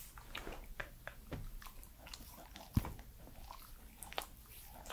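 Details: Edmundo, a three-year-old Pembroke Welsh Corgi, eating indoors in a small room, recorded close up: irregular crunchy bites and wet chewing clicks, with one sharp loud crunch near the middle and a quiet room hum beneath.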